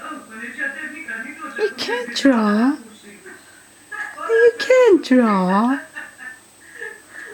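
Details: Rocky, a two-year-old pet boxer, whines indoors because he wants to draw. Two drawn-out, moaning whines dip and then rise, near the second and fifth seconds. A person's voice talks between them.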